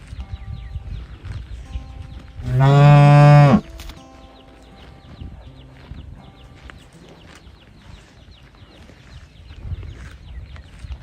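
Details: Calf searching for its mother gives a single strong bellowing moo of roughly one second, deep and harmonic, then falls silent while low background noise and faint thin tones carry on.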